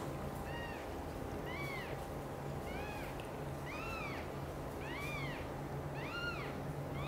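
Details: Kittens of mother cats Chan and Xaxa, Miracle and Cream among them, meowing loudly as Xaxa carries them to her own nest; six high, arching meows roughly once a second over a steady low hum.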